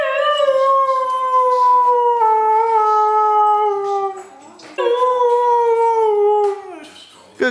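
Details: Indoor Siberian Husky singing on command, two long mournful howls, the first about four seconds and gently falling, a brief pause, then a second howl rising and sliding down; faint praise from a person.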